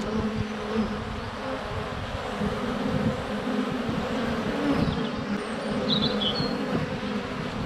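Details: Many western honey bees fly around a hive entrance on a sunny February day, humming together in a steady, low, droning buzz with a slightly wavering pitch; bees landing on the recorder, with birdsong, goats and chickens.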